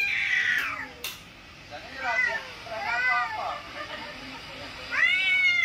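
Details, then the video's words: Domestic cat sounds, with cat sounds played on a mobile phone to a mature cat: a bright opening cry, then three short arched meows in the middle and a rising, falling meow at the end, with faint clicks between. "Cat reacting to cats sounds played on mobile phone. (Kittens meowing, cats fighting etc)"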